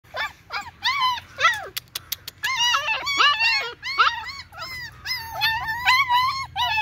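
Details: Several female German Shepherd puppies whining together: overlapping high squeals that rise and fall, some sliding sharply upward, in near-continuous bursts over a low steady hum.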